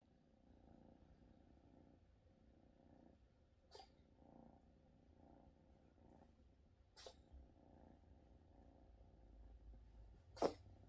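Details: A domestic cat purring after a bout of coughing, a soft low rumbling pulsing in slow even cycles, broken by a few sharp clicks or sniffs, indoors and quiet.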